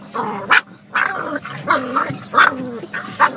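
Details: Pug barking at moving windscreen wipers: a run of short, sharp barks about every half second, mixed with higher yelping and growly tones, with a steady low engine hum underneath.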